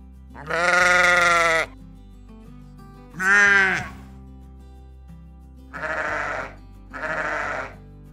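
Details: Sheep on a farm giving four bleats: two loud, strongly harmonic, quavering bleats, then two shorter, rougher ones about a second apart, over quiet background music.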